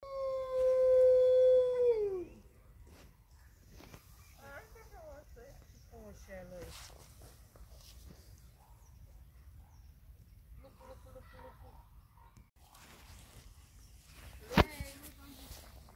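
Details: Hudson Bay wolf (Canis lupus hudsonicus), a gray wolf subspecies, captive at Zoo Targu Mures. A single steady, sustained howl of about two seconds that drops away at the end, followed by people talking quietly and one sharp click.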